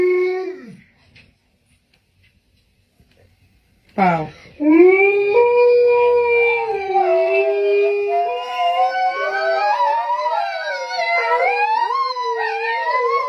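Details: Dogs howling together like a wolf pack indoors: brief talking and a short whine, then after a pause long wavering howls start, rising and falling, with several voices overlapping and layering in pitch until the end.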